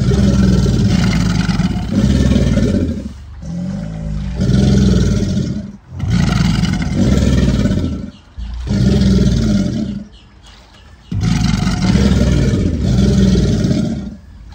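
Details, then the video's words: American alligators bellowing during mating season, on land and in water; a series of deep, throaty, rumbling roars, each lasting about two seconds, separated by short pauses, with low pulsing vibration throughout. "What does an alligator sound like?"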